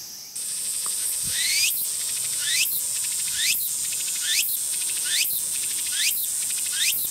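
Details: Tsukutsuku-boshi cicada (Meimuna opalifera) beginning its song: a steady high buzz switches on, then rising, sweeping shrill phrases repeat roughly once a second over a constant high-pitched insect hiss.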